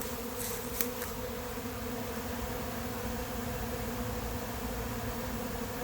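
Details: Late-season honey bee swarm moving into an empty, unprepared hive on July 8th: a steady, dense droning hum with layered low tones, broken by a few sharp clicks in the first second.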